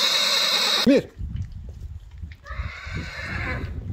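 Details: Arabian horse neighing: a short arched, rising-then-falling burst, followed by a fainter, wavering harmonic stretch. A hiss comes before it, and thuds and rustling run underneath.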